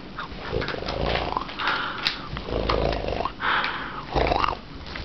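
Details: Walt, a corgi, growls in rough, rumbling bursts with nasal, wheezy edges during play, tail wagging the whole time as he loves mock intimidation.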